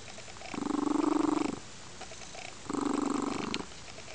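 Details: Content lynx-point Siamese foster cat named Crystal purring on a sunny windowsill on a weekend afternoon; two pulsing, rumbling purr phrases about a second long with a quiet gap between, close and indoors.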